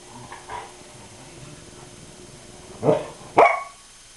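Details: A pet dog playing with a blue balloon gives two short, sharp barks close together near the end, the second louder and higher, after a stretch of quiet indoor background with faint soft noises.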